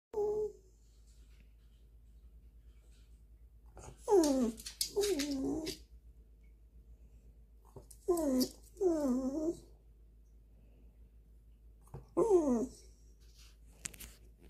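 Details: Indoor Welsh Corgi demanding food after a forgotten meal, giving paired whining, yodel-like vocalizations that rise then fall, in three bouts about four seconds apart, with a woman's voice briefly afterward.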